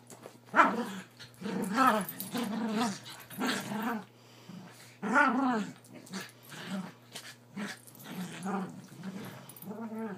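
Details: Havanese growling while play wrestling on a bed, vocal in play: repeated short throaty growls and grumbling yips in bursts roughly every second, some rising into sharper yelps, indoors.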